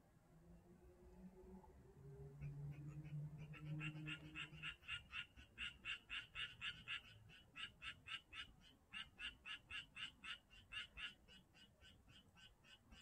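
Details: Frogs calling at Janghyeon-dong: after a few seconds of low hum, a rapid series of short, rattling croaks starts and repeats about four times a second to the end.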